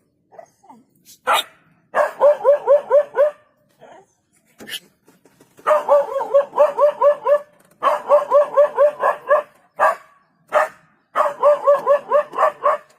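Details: Scattered single yelps at first, then a dog breaks into fast runs of sharp barks, several bouts of eight to ten barks split by short gaps.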